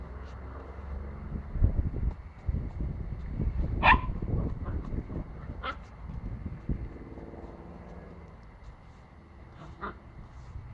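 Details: Pomsky puppy named Boy, a Pomeranian-husky cross, biting and barking at a broomstick indoors; a few sharp, short barks ring out at about four, six and ten seconds over steady low scuffling and thumping.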